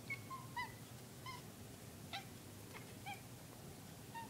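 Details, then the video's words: A pet cat making squeaky noises indoors: short, thin, chirp-like squeaks, some sliding downward, repeated about every half second to second with brief pauses, in a quiet room. "My cat making squeaky noises"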